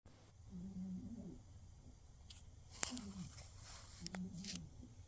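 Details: A sleeping cat snoring in the dark: soft, low, wavering tonal snores, each under a second, with a quiet room hiss and a few faint clicks between breaths.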